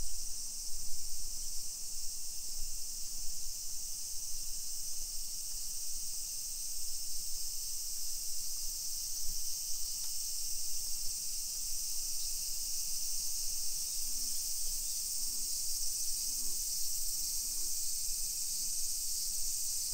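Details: Japanese summer cicadas heard along a hillside residential street in Nisshin, Aichi Prefecture, early afternoon, 28 July 2021. An unbroken high, even buzzing drone fills the background, with faint low hums and soft street sounds underneath.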